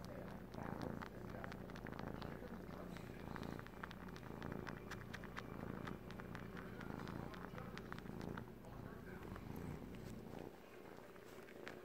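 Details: Male Siamese kitten, three months old, purring as he suckles a blanket like his mother; a continuous low rumbling purr pulses throughout, with soft sucking clicks and a voice talking quietly over it.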